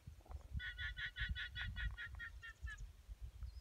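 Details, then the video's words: Guanacos near the Draga Aurifera in Patagonia give a fast, honking, laugh-like series of nasal notes over a low mechanical rumble. "Guanaco noise Draga Aurifera"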